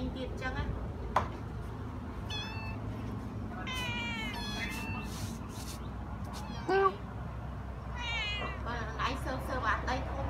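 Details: Rescued stray kittens and cats at a house calling in bursts of quick, shaky meows, a cluster around the middle and another near the end, with a few sharp clicks and a faint low rumble.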